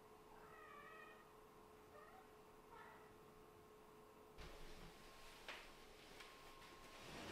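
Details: Cats at home with a mother Scottish Fold, Lulu, nursing and grooming her kittens: three short, high mews with stacked harmonics in the first three seconds, then rustling and bumping, over a steady low electrical hum.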